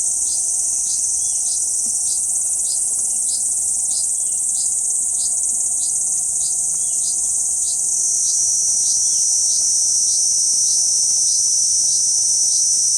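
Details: Kuroiwa cicada on a banyan trunk, central Okinawa Island, 11 June 2023, giving a sustained piercing buzz overlaid with regular ticks roughly three to four per second. The drone steps slightly lower partway through, and faint chirps sound in the background.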